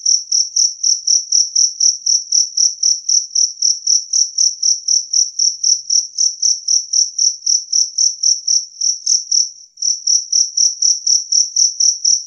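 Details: Loud, clean chirps from a two-spotted cricket, a rapid regular series of piercing high pulses around four per second, interrupted once by a short stutter before resuming.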